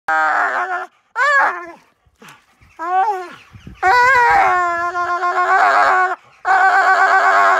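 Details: A dog "sings" while playing tug of war, giving drawn-out, wavering howls and whines that swoop up and down in pitch.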